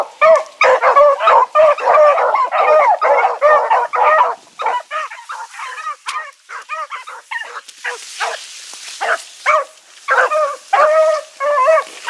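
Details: Blackreek hound pack (Choco, Dino, Johnny Ringo, Mingo) on an evening run, 16 August 2014. Thick chorus of overlapping barks at first, thinning into spaced single barks over a faint hiss.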